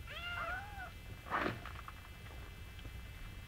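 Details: Singapura kittens with mother Mii. A couple of quick high meows open the moment, followed by a short rustling bump and then near silence indoors.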